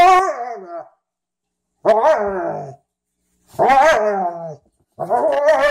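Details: Playful dog vocalizing as a Frenchton and a Rhodesian ridgeback, Ziah and Jacque, romp together for the first time; four separate drawn-out, wavering growl-barks, each about a second long, spaced by short silences.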